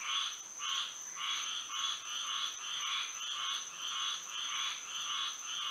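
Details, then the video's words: Frogs singing on a moonlit Florida night: a fast run of short, bright, double-toned croaks repeating about twice a second, with a steady high insect whine running underneath throughout. "A frog symphony to sleep and relax to"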